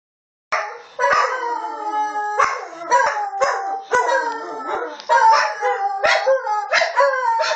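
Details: A dog called Bailey howls and yowls in a rapid series of wavering, harmonic-rich bursts, each starting sharply about once a second, with rising and falling pitch and short yips between, in an otherwise quiet setting.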